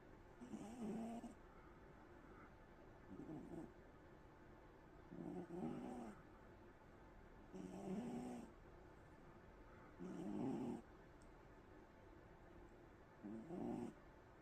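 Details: A pet cat snores while asleep, a rasping low snore on each breath about every two and a half seconds. Each breath carries faint hissy air above it, and the room is otherwise quiet.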